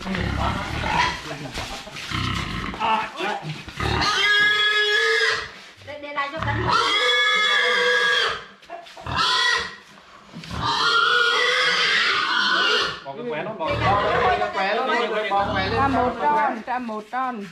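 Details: Brown pig raised in a mountain village for twelve months, being caught by people, giving long, loud, shrill squeals in repeated bursts, with people talking between them.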